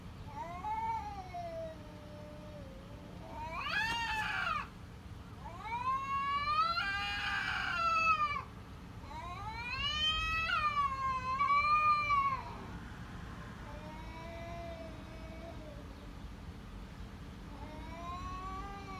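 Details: Cat giving a run of loud, long, harmonic meows, some rising then falling and others wavering, a few close together and stretched, with softer meows trailing off at the end over a low background hum.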